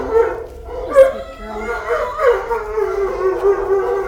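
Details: A pile of big puppies, Roxy's litter in kennel 621, give drawn-out wavering whines and howl-like cries, several voices overlapping continuously, with faint human murmurs.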